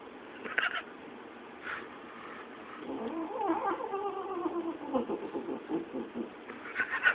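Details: A domestic cat indoors in a living room growling and yowling at other cats it hates; a drawn-out wavering harmonic moan mid-way, then pulsed grumbling, with short sharper bursts near the start and end.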